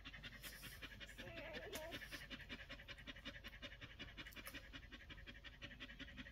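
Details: Rapid huffing breaths from one-week-old Collie puppies, close to three puffs per second, with a faint wavering squeak around one and a half seconds amid the steady breathing.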